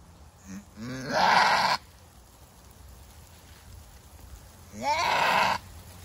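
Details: A goat in a hard first labor gives two harsh screams about four seconds apart, each preceded by a short rising, wavering lead-in before the loud rasping cry.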